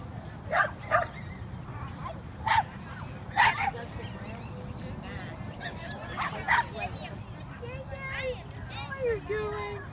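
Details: Yipping from Basenjis romping together at a dog park, January 2014, Ginger Snap among them: sharp paired yelps spaced a second or two apart, then a drawn-out falling whine near the end, with people talking.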